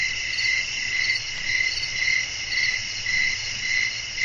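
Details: Crickets chirping at night in a relaxing nature soundscape: a steady, high ringing chorus that swells and fades about every half second, with a faint low rumble underneath.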